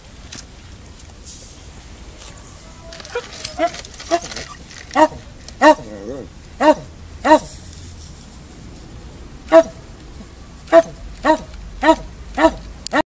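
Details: Stray dog beneath a pile of wood, said to sound unhealthy; a string of short, harmonic yelping whines in uneven bursts, about a dozen in all, with people's voices faintly heard early on.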